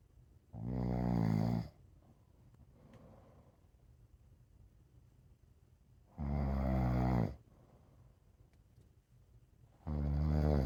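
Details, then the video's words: Rescue pit bull mix dog sleeping like a baby, producing three low, vibrating snores at intervals of about four to five seconds, with near silence between them. "The dog sleeps like a baby and snores."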